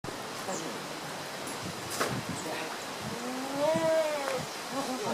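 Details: American beavers in Obihiro Zoo, Japan, recorded 11 October 2014, one swimming behind another, perhaps courting; a thin, whining call with ringing overtones rises and falls near the end, over faint rustling background noise and scattered ticks.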